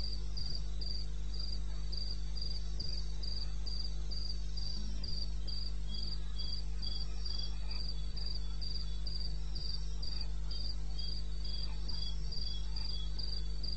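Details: In the wild bush of eastern Botswana, crickets sing in the small hours (02:30 AM, 21 May 16) with quick, very regular high chirps, a quieter second pulsing voice beneath, and a low droning hum throughout.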